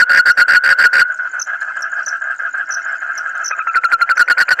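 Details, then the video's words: A frog giving odd, rapid pulsed bursts that merge into a steady buzzy tone, then break back into quick pulses, with faint high squeaky blips above. "suara kodok aneh tapi lucu"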